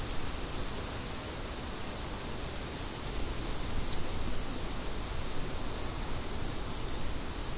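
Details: A constant shrill cricket chorus, faintly pulsing, sits above a blustery background of wind, with gusts swelling midway.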